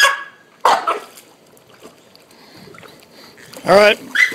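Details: Three-month-old puppy, excited about a ball and the water while swimming under supervision, gives two short, high, harmonic yelps, one near the start and a longer wavering one near the end, with a human voice talking nearby.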